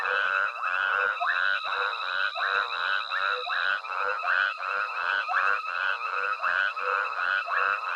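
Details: Night frog chorus recorded at Hwange Safari Lodge where an elephant herd with a young calf forages; loud overlapping croaks repeat about once a second over a continuous high-pitched whine in the background.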